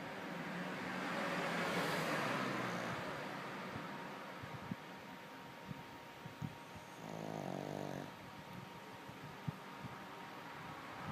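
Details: Lulu the dog snoring: low rasping breaths with a harsher, buzzy, harmonic-rich snore near the end, over a steady background hum.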